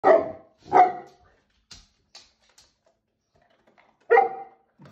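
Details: A female Tibetan Mastiff barks indoors while eating biscuits, unhappy about a workman in the next room; three deep, loud single barks with long pauses, plus faint crunching sounds in between.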